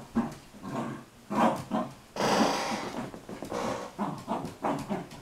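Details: Sealyham Terrier Arwen rough-housing with two shepherds, a mother and daughter named Desi and Marilyn. The dogs trade throaty, rasping growls in loud bursts, with a longer snarling stretch midway, separated by brief pauses and panting.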